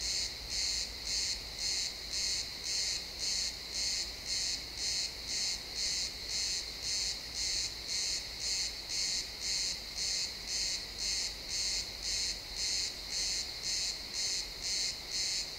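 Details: Crickets chirping in a pine forest at sunset, recorded in stereo: a steady high pulsed trill, about two bursts every second, evenly spaced and continuous throughout, with no other clear sounds.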